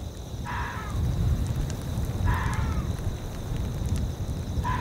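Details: In a windy tundra soundscape, a fox gives three short, hoarse barks about two seconds apart, each dropping slightly in pitch, over a steady roar of wind.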